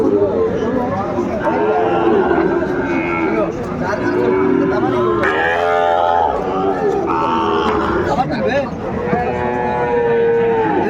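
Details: Several drawn-out cattle moos overlap at a busy Cumilla, Bangladesh cattle market on 12 February 2025, during the purchase of a Sahiwal bull. The calls are tonal and sometimes wavering, and steady crowd noise and talking run underneath.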